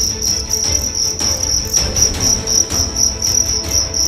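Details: Fighting cricket, a young one from Karawang, West Java, size 7 and weighing 1.4 grams, being tested. It gives a loud, steady, high-pitched chirping trill, pulsed about four times a second, over a low rumble.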